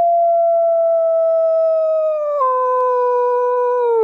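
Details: {'caption': 'Winter arctic wolf pack howling: one long, smooth howl held level, then stepping down in pitch partway through and sliding lower at the end.'}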